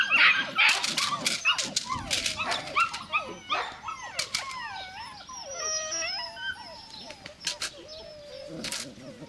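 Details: Belgian Malinois puppy whimpering in a steady stream of thin, falling and rising whines, loudest at the start, then softer drawn-out cries near the end.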